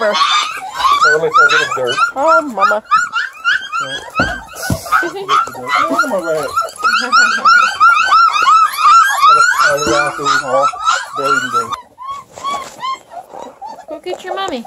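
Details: A whole litter of hungry Redbone Coonhound puppies near Kingston, Ontario yelps and whines in a busy, continuous chorus of short arching cries that thins out near the end. A person's voice is audible indoors.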